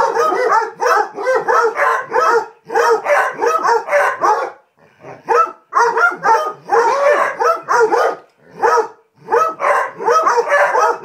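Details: A pack of Basset Hounds bark in rapid, overlapping, loud and excited bursts during a playtime chase, ganging up on one dog that rolled in something disgusting.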